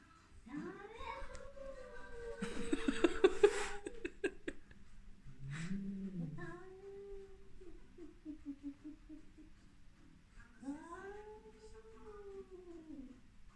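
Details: Cat Luna visiting the young neighbouring cats: arched, drawn-out meows at the start and near the end, with a noisy rustling burst and softer low sounds in between.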